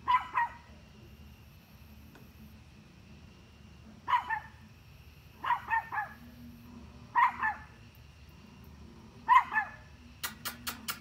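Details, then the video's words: Dog barking at deer: short harsh barks, often paired as double barks, spaced a few seconds apart, with a faint low hum underneath and a few sharp clicks near the end. "Dog barking at deer"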